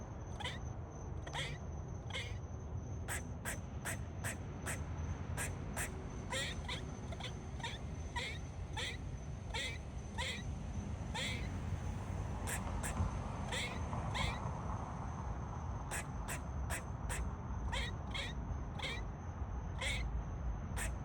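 A squirrel gives sharp, clicking barks in uneven bursts, a warning of danger.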